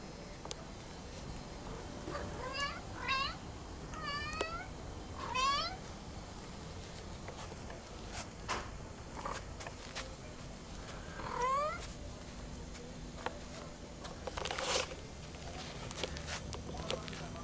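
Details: Pet cat walking and talking: five short, clear meows, four close together in the first seconds and one more later, over a faint steady background hum.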